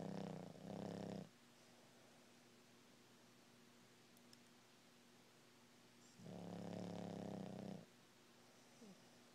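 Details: Sleeping Boston Terrier snoring, caught in REM sleep: two long rough low snores about five seconds apart, each over a second long, with a quiet hum between them.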